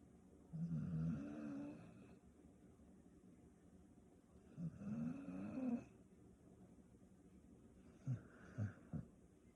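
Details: A female Staffordshire Bull Terrier napping snores in two long, low, rasping breaths about four seconds apart, then gives three short snuffling snorts.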